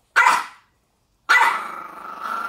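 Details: Maltese dog, fierce-looking but fearful inside, reacting while held by its owner: two sharp, high barks, the second drawn out into a sustained snarling whine.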